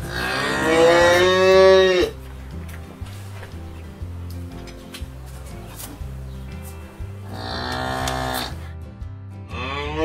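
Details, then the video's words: A cow gives two long, low, harmonic-rich moos, one at the start and one near the end, over steady background music. "SOUND COW"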